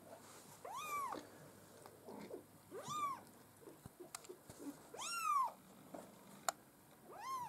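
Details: Maine Coon kittens of a litter at a breeding cattery, mewing in high arched cries roughly every two seconds, some louder and longer, with soft shuffling and a sharp click between calls.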